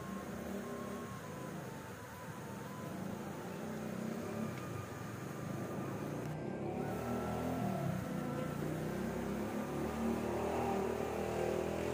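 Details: Steady engine and vehicle noise with broad low rumble and faint tonal hum throughout, no animal voice heard.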